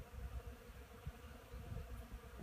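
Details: Honey bees on pollen on 10 March 2015, a steady hum with a low droning band and rough low rumble pulsing irregularly throughout.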